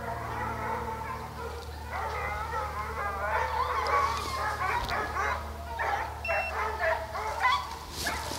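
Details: Pack of hounds chasing deer at St Helena, South Carolina, giving continuous excited bays and yelping cries that swell in the middle. Several dogs overlap above a steady low engine drone.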